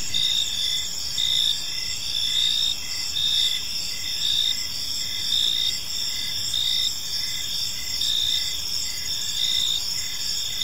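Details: Park crickets at dusk keep up a continuous shrill trilling chorus, several pitches overlapping, loudness swelling gently about once a second, set against faint low environmental noise.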